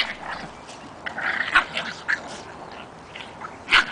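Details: Five 8-week-old puppies playing outside: scattered short high yips and squeals, one sharp yelp near the end, with a person speaking softly.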